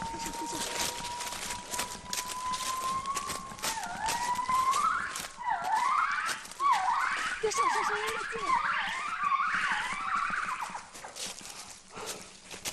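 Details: Western black crested gibbons of the fourth group, foraging in mountain forest canopy about 20 metres away, sing overhead: a long rising whistle, then a quickening run of swooping notes.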